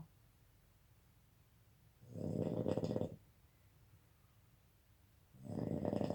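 A sleeping Boston Terrier snores in loud, rasping bursts, each about a second long.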